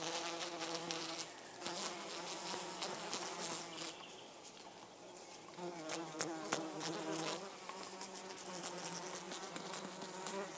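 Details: Hoverfly Helophilus pendulus, with a mating pair and three flies present, gives a steady low wing hum with stacked harmonic overtones that swells and fades across the recording, over a dense background of crackling, ticking noise.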